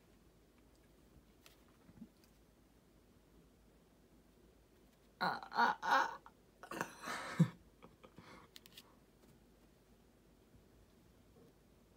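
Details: Quiet indoor room, broken by a few seconds of broadband rustling and clattering bursts midway, then near silence again, with no animal voice.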